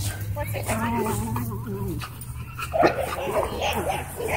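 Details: A Miniature Pinscher grumbles in wavering, whiny growls, a warning to back off when pestered by another dog.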